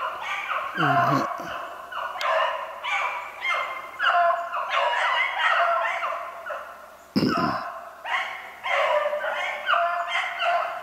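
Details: Beagles on a snowshoe hare hunt, dated 3/8/16, baying as a pack: long, overlapping mournful bays ring out continuously, broken by a couple of sharp knocks or handling noises, the chorus rising and falling in loudness.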